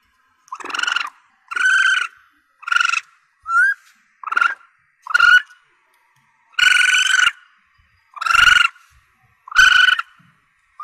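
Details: Juvenile Asian palm civet calls, used by hunters to draw in targets: a series of buzzy, harmonic squeals of varying length, some brief and some drawn out, with one short whistled chirp partway through and otherwise silence.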